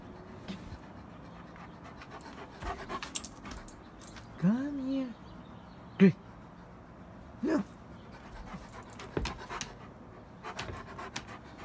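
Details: Alaskan Malamute on a morning walk, panting softly with a drawn-out whine near the middle and brief sharp yelps, while a person speaks and footsteps and rustling carry through.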